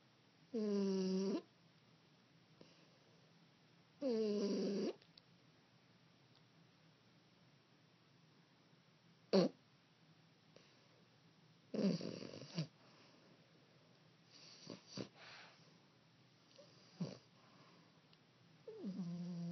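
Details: A 15-week-old female French Bulldog puppy snores while sleeping in low, rattling, nasal drones, each about a second long.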